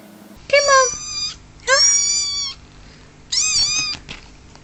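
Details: Kitten meowing: three drawn-out, slightly falling mews, each about a second long, spaced roughly a second apart, over a low background hum.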